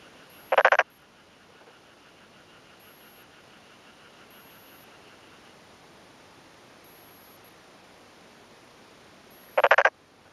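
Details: Male black-spotted pond frog calling by day in early May afternoon from a freshly flooded, puddled rice paddy in rural Yamaguchi, Japan, inflating both cheek vocal sacs and answering another nearby male; two short harsh pulsed croaks about nine seconds apart over quiet background.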